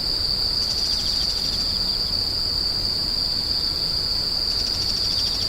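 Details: Steady high-pitched insect screech rings through, joined by soft rapid trills at the beginning and toward the end, all over a faint noisy background.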